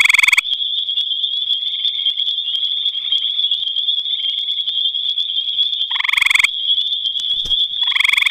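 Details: At night in the Albany Pine Bush, a gray tree frog gives loud, rapid pulsed trills at the start, near six seconds and at the end. Softer distant trills and a constant high-pitched buzzing chorus continue between them.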